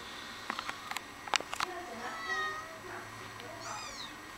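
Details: Mother cat indoors giving soft, drawn-out meows with a wavering, slightly falling pitch, the last one higher and bent, after a series of sharp clicks and taps.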